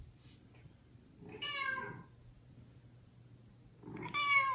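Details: Young domestic kitten calling loudly for its mother cat, which ignores the litter; two clear harmonic meows about three seconds apart, the second louder and rising, over a low steady hum.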